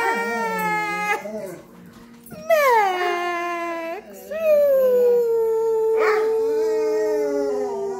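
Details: Dog howling while singing along with a person: long, sliding howls that rise sharply then glide down and hold a steady tone for several seconds, with a human voice mixed in.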